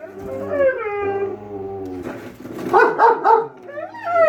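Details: Pet German Shepherd and Siberian Husky vocalizing back and forth about a lawn mower, a wavering drawn-out howl sliding downward, then a burst of three quick yips and a rising howl at the end.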